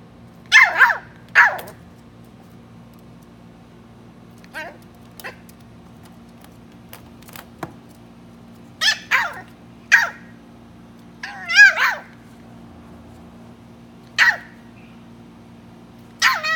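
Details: A-Bao, a three-month-old West Highland White Terrier puppy, gives sharp high yips and barks in short bursts, singly and in pairs, some with a wavering pitch, spread across the stretch with quiet gaps and a steady low hum beneath.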